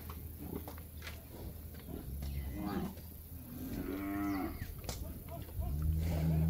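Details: Calves in Campeche, Mexico, 20 August 2022: a few short bawling moos in the middle, partly masked by a strong low rumble that swells toward the end.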